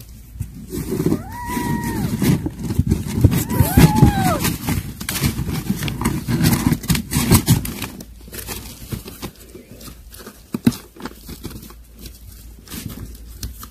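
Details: Kittens at a meal of weaning food. Two short arched mews ring out about two seconds apart over steady smacking, chewing and clattering sounds, followed by continued feeding noise.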